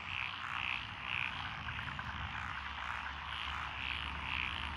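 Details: Mixed frog chorus (Japanese tree, black-spotted pond, wrinkled, Schlegel's green and forest green tree frogs) in lotus paddies at Echizen, Fukui, June 2021: high croaking notes repeated roughly twice per second above a dense trilling background and low hum.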